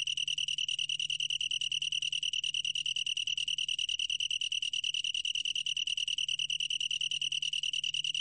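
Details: Long-tailed tree cricket from the National Institute of Biological Resources, 2020: a steady, high, ringing trill of rapid even pulses, unbroken throughout, with a faint low hum beneath.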